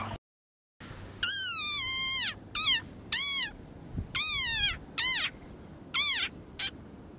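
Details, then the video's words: Screaming frog from a frog compilation giving a series of about seven short, shrill, harmonic squeals over five seconds. Each squeal dips in pitch at its end, with brief pauses between bursts. "Funny Frog Sound"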